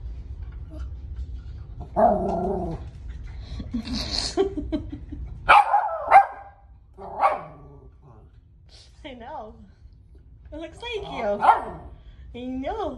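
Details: Female West Highland White Terrier barking at a picture of herself indoors; short yappy barks and whiny, wavering vocal sounds mixed with a woman's quiet talk, barks at irregular intervals.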